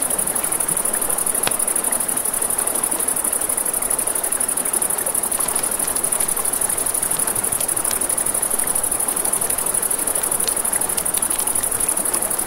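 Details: Night-time crickets by a riverside campfire make a constant thin, high trill, layered over broad rushing river noise and scattered crisp crackles and pops from burning wood.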